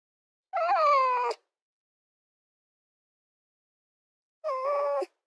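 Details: Two separate red fox cries, each a harmonic, wailing note that slides gently downward and ends abruptly, with a long silence between them.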